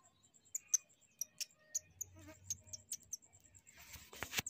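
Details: A baby shrew, being returned to its mother, gives sharp, very high squeaks in quick, irregular bursts.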